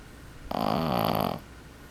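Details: A sleeping 12-week-old male Boston Terrier puppy gives a single snore lasting just under a second, a low, buzzy, rough rattle that swells and fades, with a quiet room hum faintly behind it.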